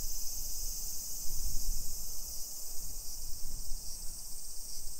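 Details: Dense, even, sizzling drone of summer cicadas in suburban Nisshin, Aichi Prefecture, Japan, around 1 PM on 28 July 2021, steady throughout, over a low rumble of steps and breeze.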